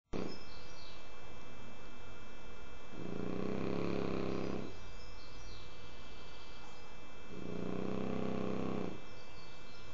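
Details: French Bulldog Kike snoring heavily while asleep: two long, rough, low rumbling snores about two seconds each, separated by quiet breathing pauses, with faint steady background hum.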